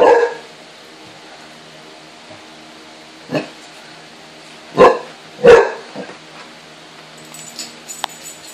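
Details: A pair of 18-week-old Basset Hound puppies wary of an oatmeal can. One loud bark opens, then after a pause come three more deep, hoarse barks, followed by quieter rustling and light clatter.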